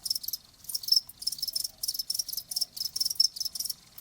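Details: Cricket chirping in bursts, a bright high-pitched pulsed trill repeated about every half second, with short gaps between chirps and no other sounds.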